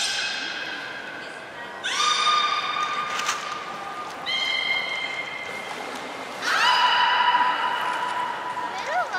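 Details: Training of beluga Hodoi for stomach fluid and blood sampling, Port of Nagoya Public Aquarium, 6 January 2019; three or four steady, overtone-laden tones separated by brief gaps, ending with small faint upward chirps.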